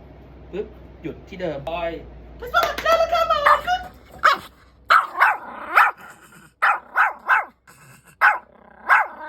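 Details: Pomeranian known for barking a lot, filmed during leash training meant to reduce barking; a man talks first, then about ten sharp, short yapping barks follow in a quick irregular series.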